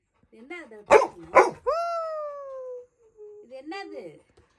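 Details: Little John, a Labrador Retriever puppy, is indoors while a VR headset is unboxed. Two sharp barks come close together, followed by a long, smooth, falling whine-like tone and a short murmured sound.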